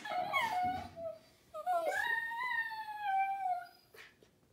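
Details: Italian greyhounds indoors during laundry, giving drawn-out howling whines: a wavering cry, a pause, then a long sliding howl that rises and slowly falls, ending with a short soft whimper.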